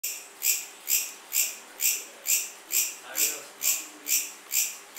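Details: Cricket chirping in high, shrill pulses repeated steadily about twice a second, each chirp bright and ringing, with a quiet low background.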